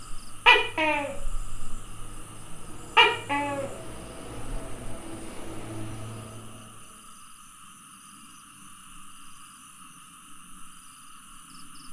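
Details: Tokay gecko, 27 May 2020, giving two loud double-note croaks about two and a half seconds apart, followed by low rumbling background noise that fades to quiet, with a thin continuous electrical tone throughout.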